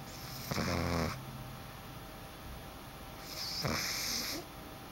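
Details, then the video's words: Boston Terrier puppy asleep in a dark room: two soft, raspy snoring breaths, each about half a second long and spaced roughly three seconds apart, over a quiet background hiss. "Snoring Boston Puppy"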